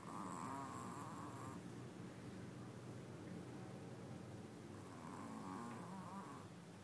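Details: Little dog asleep, snoring loudly: a rasping, fluttering inhale at the start and another near the end, separated by quieter low breathing.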